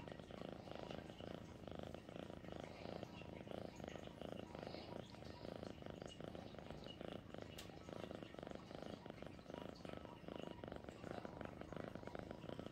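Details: Sweet Pea, a pet cat, purrs continuously in a deep, fluttering drone, the rapid pulsing steady from start to finish, with a faint brief click near the middle.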